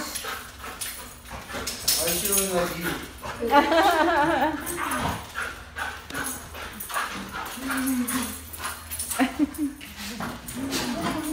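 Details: Honey, a Goldendoodle, reunites with her owners and whines excitedly: high, wavering, quivering whimpers rise and fall in a burst near the middle, with shorter whines later, over a woman's excited greeting speech throughout.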